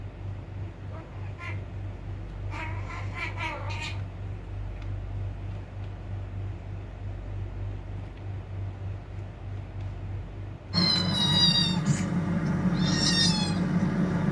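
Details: Cats said to be fighting: faint, broken cries early on, then from about eleven seconds a sudden loud burst of high, quavering meows over a constant low hum.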